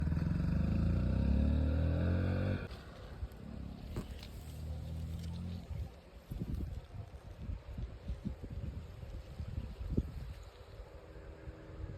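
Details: A low motor engine drones loudly for the first few seconds, then cuts out, leaving an outdoor rural scene with scattered knocks, rustles and faint background hum.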